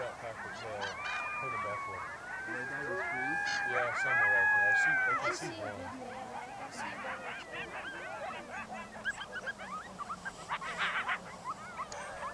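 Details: Yellowstone National Park coyotes give long, smooth, level howls that bend and slide for several seconds, followed by a scattered burst of short yips and yelps as the group breaks into a chatter.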